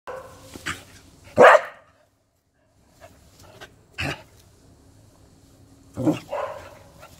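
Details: Welsh Corgi playing a ball-catching game, giving three sharp, loud barks spaced a couple of seconds apart with quiet pauses between them, indoors.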